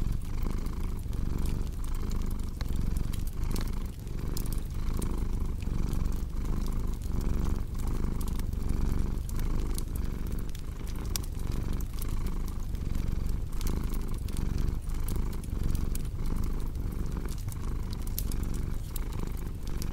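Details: Domestic cat purring steadily, a low rumbling drone that swells and eases roughly once a second with each breath, layered over sharp pops and crackles of a cozy fireplace.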